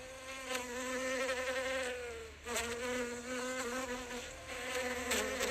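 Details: Bee recorded up close while foraging on flowers: a steady, droning buzz with a low hum and layered overtones. The pitch dips briefly midway, then the hum resumes unbroken.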